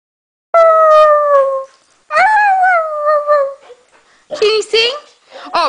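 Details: Norwegian Elkhound singing with a Husky: two sustained, gently falling howls are followed by a burst of short, wavering, rising yelps, over a quiet background.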